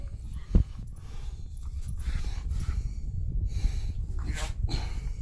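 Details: Miniature schnauzer Snickers protests as the owner wakes up his son: low, rumbling grumbles and snorting bursts with one sharp snort near the start, plus brief rustling and faint household movement.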